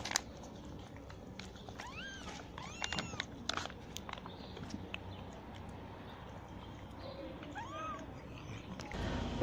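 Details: Kittens of a newly delivered stray mother cat leave the nest while she is fed; several high arched mews, some in quick pairs, among tapping and scraping noises and a loud bump at the end.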